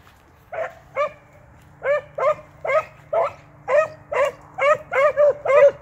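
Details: Beagle pup and an experienced male working a rabbit track; loud, ringing bawling barks repeated roughly twice per second, each bark rising and then falling, growing steadily faster and denser toward the end.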